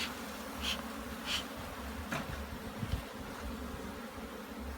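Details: Bees humming at a Jamaican hive under inspection; a constant buzzing drone with a few crisp clicks near the start and a soft knock toward the end.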